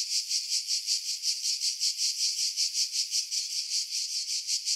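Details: Skiros Island cicadas, Greece, July 2018, singing in pine trees above Pefkos Bay: a sharp, sizzling buzz beating in clear regular throbs, about three per second, steady throughout.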